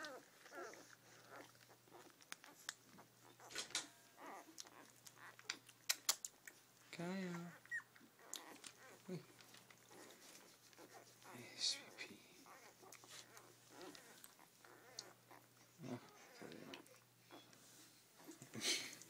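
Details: Newborn Rhodesian Ridgeback litter, day five, indoors at feeding time: scattered thin whimpers and squeaky cries come and go among rustling and shuffling, with a woman's gentle talk and a constant low electrical hum.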